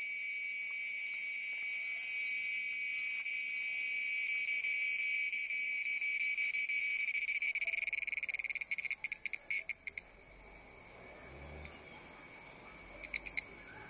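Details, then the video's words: Cicadas of the family Cicadidae singing in chorus: a steady, loud, buzzy drone with bright high bands, holding unbroken for about eight seconds, then breaking into stuttering pulses and brief bursts before fading. "Small creature ( Cicada ) sings in tune with clapping sound"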